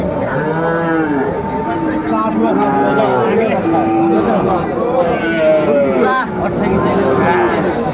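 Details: Sahiwal breed bull calf at a Comilla market, Bangladesh, 13 August 2024, lowing repeatedly: several rich, wavering moos follow one another over eight seconds, mixed with talking traders and general market bustle.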